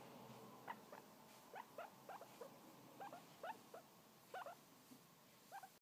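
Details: Tiny pet guinea pig, a new addition to the household, making soft, brief upward-sliding chirps in loose pairs and clusters, quiet against a constant background hiss.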